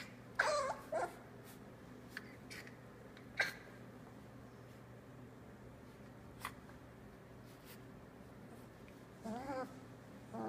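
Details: Tilly's three-week-old Australian Labradoodle puppies, eyes just starting to open, give a few thin, high squeaky whimpers, bunched near the start and end, between quiet stretches over a steady low indoor hum.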